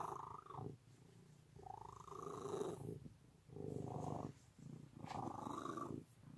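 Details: Cat purring close up, a throaty, vibrating drone in rhythmic waves, four louder breath phases separated by quieter, lower rumbles, calm and continuous throughout.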